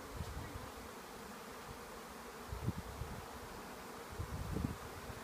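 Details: Honey bee swarm in a garden at Northop Hall, North Wales: a low, steady, droning hum of many bees under a noisy outdoor background, with occasional soft thumps and rustling.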